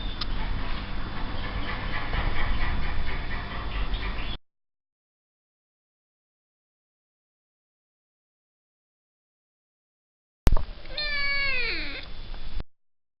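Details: Rescued cat, November 2013, giving one drawn-out, strongly voiced meow that slides downward in pitch near the end, after a stretch of low rumbling noise and a silent gap.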